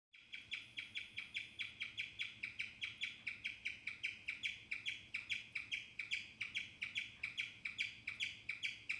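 A guinea pig chirps in a steady, bird-like series of high, sharp notes, several each second.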